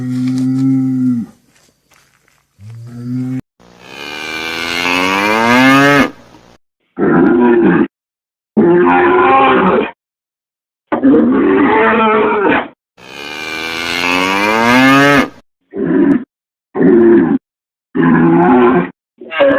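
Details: Cattle bellowing repeatedly. Low, level moos open the sequence, then long strained bellows swoop upward, mixed with a run of shorter, bright moos broken by quick pauses.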